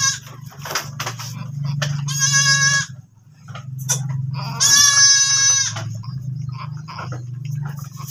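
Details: Domestic goat that has just given birth again, letting out two loud, shrill, quavering bleats about two seconds apart, each lasting roughly a second. A steady low hum or background music runs underneath.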